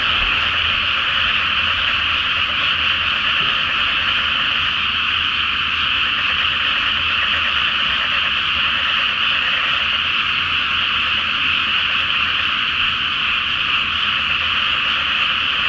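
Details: Night-time frog chorus from a flooded paddy before rice planting, full moon reflected on the water; countless frogs croak without a break, a constant dense layer over a faint low rumble, possibly traffic.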